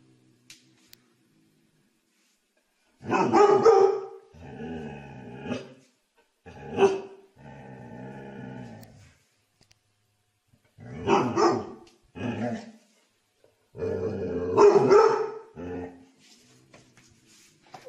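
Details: A domestic dog gives bursts of rough barking mixed with drawn-out, growly and whining tones in several separate bouts, with short silences in between and nothing else clearly heard.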